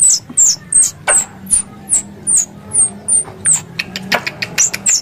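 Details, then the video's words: Squirrel lure call: piercing high chirps that slide downward, spaced a little under half a second apart, then a burst of quick clicks and softer chirps near the end, over faint low noise. "Suara Tupai 3 In One Terbaru Sebagai Penyempurna Suara Pancingan Tupai"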